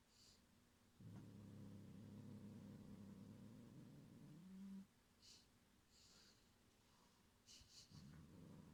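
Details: Gyopi the cat growls to threaten and guard its string toy, Cotton-sensei, from another cat, Ebiten: one low, steady rumbling growl lasting nearly four seconds that rises in pitch at its end, followed by quiet room noise.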